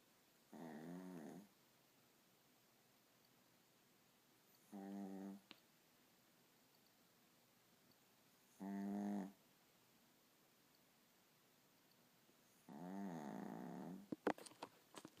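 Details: A Morkie snoring while asleep: four drawn-out, buzzy, rumbling snores about four seconds apart, each lasting under a second, with a few sharp clicks near the end.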